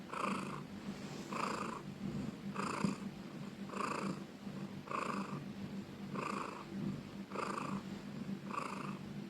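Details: A house cat purrs loudly in slow, regular pulses a little over a second apart, each rumbling burst rising and easing off, over a quiet constant hum.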